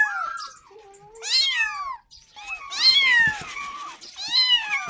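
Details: Young kitten calling for its mother to get milk, giving four high meows, some sliding down and others arching up then dropping, spaced about one to one and a half seconds apart with slight background noise.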